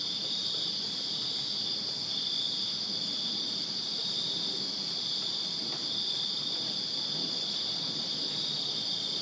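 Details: Many crickets chirp in a Virginia backyard on a summer night, a continuous bright, high trilling wall of sound that never breaks, and only a faint low murmur beneath.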